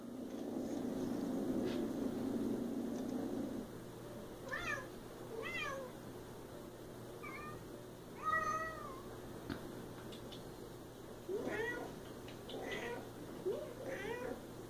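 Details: A Siamese cat gives a run of short, arching meows one after another while a person speaks nearby and calls her.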